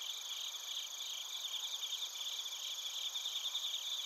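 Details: Insect chorus of bell crickets and crickets in Narita, Chiba, Japan: high, fast pulsing chirps repeated about three times a second over a continuous ringing trill.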